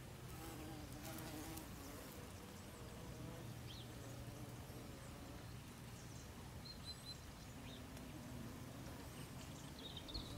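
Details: Thirsty honey bees feeding among the white bell flowers of a garden strawberry tree in autumn, alongside other bees and insects. A steady, low droning hum with layered overtones from several overlapping insects, plus a few faint high chirps.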